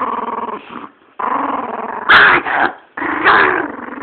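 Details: Female chihuahua defending her bone from a person reaching for it; continuous throaty growling in bursts broken by two brief pauses, with a few louder snarling peaks.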